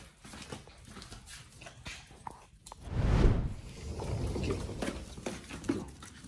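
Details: Dogs Oli and Nomy eating raw meat on a prey-model raw diet, recorded in November 2022 for ASMR: wet crunching and clicking bites indoors, with a heavy burst of chomping near the middle and softer gnawing afterward.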